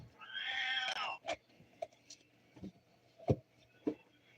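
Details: Male Siamese cat calling from his perch right beside his owner indoors, seeking attention; a drawn-out, harmonic meow lasting about a second, followed by scattered soft clicks and taps in a quiet room.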